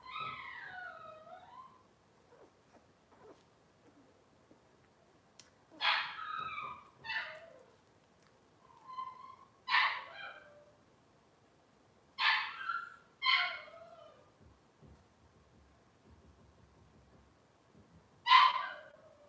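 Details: Indoor kitchen livestream of Cavalier King Charles Spaniel puppies, Robin's litter: a series of short high whimpers and yelps, some falling in pitch, scattered across the recording with quiet gaps between them.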